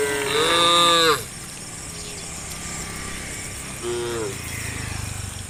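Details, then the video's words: Tame cows roaming toward green rice fields in the morning; a loud, long, rich moo opens, then quiet, then a shorter second moo near the end, insects droning throughout. "A herd of tame cows roams the road to the green rice fields in the morning, the sound of cows"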